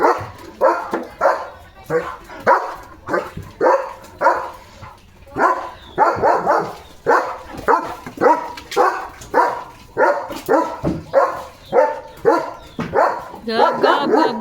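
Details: Male German Shepherd Dog out playing in the rainy season, barking loudly while soaking wet; a long run of rapid, harsh barks, roughly two per second, with a person talking to him in between.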